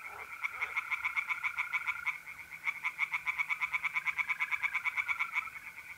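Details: Tree frogs singing by night in a pond in North-East Italy in mid-April: fast rattling pulses, about three per second, in long runs, over the steady continuous trill of mole crickets.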